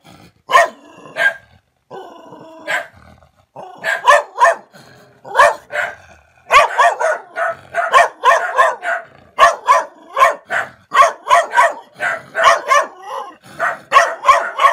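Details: Dog barking at a stranger, starting with scattered single woofs and building into a fast, nearly continuous series of sharp barks.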